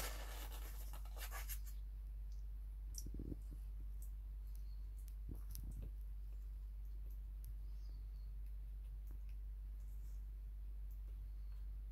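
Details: Soft scratching and rustling clicks over a steady low hum in a quiet small room, with no calls or other animal voices.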